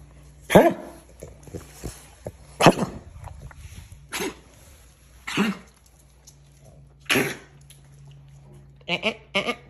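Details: A Boston Terrier / French Bulldog mix (Frenchton) with kennel cough coughs in harsh, honking bursts.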